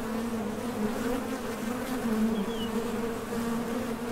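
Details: Honey bees buzzing at the entrance of a Top Bar Hive as foragers leave for nectar and land again: a steady, even drone with a low hum and a higher overtone, plus a faint brief high chirp near the middle.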